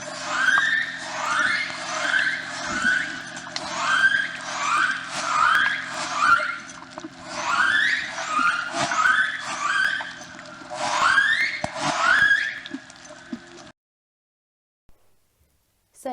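Orca calls: a run of squealing, harmonic-rich notes that sweep up and down, repeating roughly once a second.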